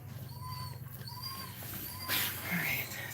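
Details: Cane Corso crying while Cashmere is in labour whelping puppies; thin whistled whines near one pitch rise and fall three times in a row, each about half a second long, over low indoor hum and a brief rustle.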